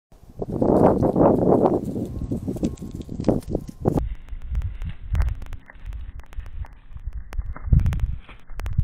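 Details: A white-tailed deer moving fast on the south slope of Kamiak Butte County Park on 2 December 2021 gives a rough, pulsing series of low grunting calls, then hooves and rustling follow.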